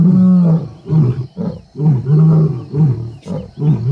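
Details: Wild lions at MalaMala Game Reserve, the Kambula pride and Ndhzenga males, seen mating. A long low roar gives way to a series of shorter, deep grunting pulses, several to the second, forming a roar's closing sequence.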